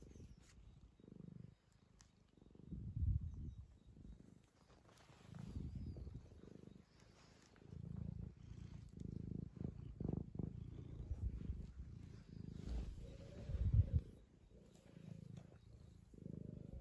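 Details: A two-year-old male tabby, fussed by his owner, purrs continuously: low grainy rumble rising and falling with each breath for the whole stretch, plus faint handling noises.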